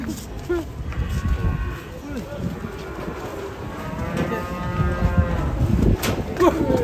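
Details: Angry cow beside its small calf, lowing in repeated harmonic moos over heavy low rumble and crowd noise, with background music throughout.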